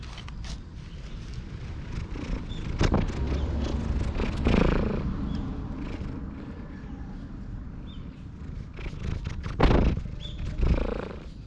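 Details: Rare-coloured calico stray cat, affectionate and restlessly circling, recorded on a GoPro HERO8: low, rumbling purr held throughout, broken by sharp rustling and handling thumps around three, four-and-a-half and ten seconds.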